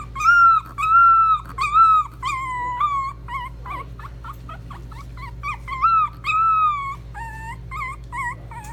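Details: Mixed-breed dog at a pet shop in Nagano, Japan, giving high whimpering whines, each a tonal note that bends up then down, in bursts about once a second, with a few shorter broken squeals and a steady low hum behind.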